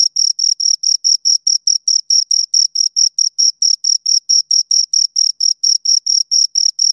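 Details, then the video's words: Pair of crickets producing crisp, high-pitched chirps in a brisk, even rhythm, roughly four pulses per second, each a short bright tonal burst with a faint upper harmonic, against complete quiet. "Two Crickets Chirp Sounds for Two Hours Right on Your Ears"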